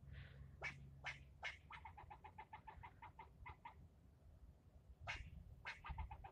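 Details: Male squirrel berating a person during a long bout of scolding: several loud rasping barks, then a rapid, even train of softer chucks that slows and stops, before more harsh barks resume.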